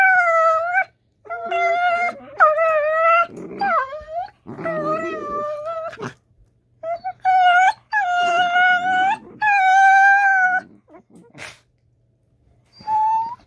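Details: Two pet Dachshunds talking to each other during rough and tumble play: long wavering whining howls with bright harmonics, repeated in bursts of about a second, broken by low rumbling growls around the fourth and fifth seconds.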